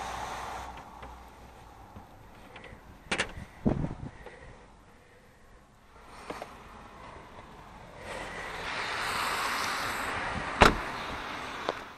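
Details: Clunks and door-like bangs, then a long burst of broad hissing noise and a sharp knock, with no animal calls heard.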